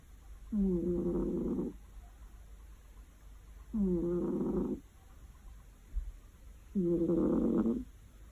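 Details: Cat snoring loudly while asleep on a warm afternoon: three low, rasping snores, each about a second long, spaced roughly three seconds apart, with quiet breathing between.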